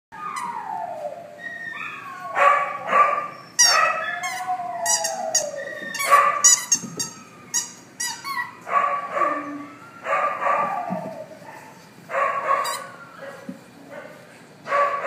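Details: Three pit bull puppies play together at an animal shelter, giving high, squealing yips and whines that slide downward in pitch, arriving in quick, overlapping bursts separated by brief pauses, with sharp little yelps scattered between them.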